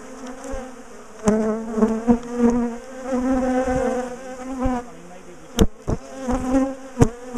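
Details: Agitated bees from a big top bar hive colony, moved because they kept chasing their owners down the garden, give a strong, even buzzing hum that rises and falls, cut by several sharp clacks of hive bars.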